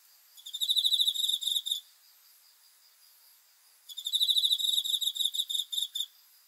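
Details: A cricket at night gives two rapid, shrill pulsed trills, each about 1.5 to 2 seconds long, with a two-second pause between them and only soft background hiss.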